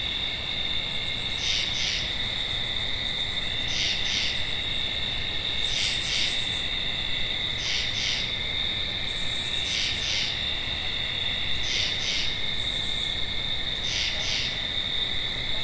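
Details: Tree frog calling in regular double croaks, pairs of short raspy notes spaced about two seconds apart, over an unbroken high-pitched insect whine and scattered higher buzzing notes.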